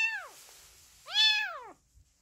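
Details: A tiny kitten abandoned by its mother, adopted at a country house in the Mukho hills, Donghae, Gangwon, gives two thin, high-pitched meows, each arching up then sliding down; it cries constantly from hunger.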